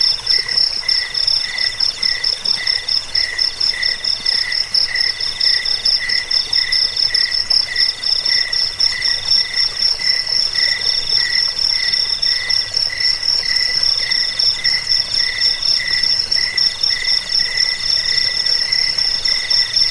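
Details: Cricket chirping, offered to repel rats, aid sleep and tutor cage birds; dense high pulsed trills from several insects run without pause, phrases repeating about four times a second.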